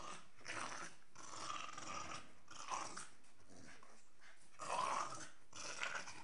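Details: Two Staffordshire Bull Terriers, a 12-month-old female and a 7-month-old male, play-fighting indoors; low, rough growls come in short bursts with pauses between, and a louder snarling burst arrives near the end.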